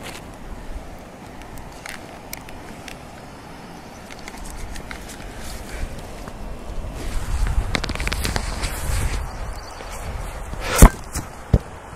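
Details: Outdoor rumble and scuffing footsteps build toward the end, then a loud crack and a sharp knock from a bouncing basketball, with no barks or other animal voices.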